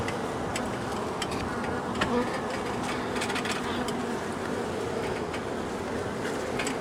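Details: Angry honey bee colony, long established in the wall of a house, disturbed on day one of a cutout rescue after dark: a dense, steady low buzz fills the recording, with faint clicks and taps scattered throughout.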